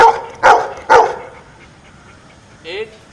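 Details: Pet dog solving a subtraction problem, seven minus four, barks three times in quick, evenly spaced succession, then a person's voice briefly follows.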